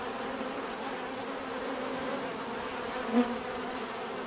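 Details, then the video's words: Steady buzzing of bees, a low humming drone, with one bee passing close near the end for a brief louder, slightly higher buzz. "bees therapy relaxing natural buzzing sound"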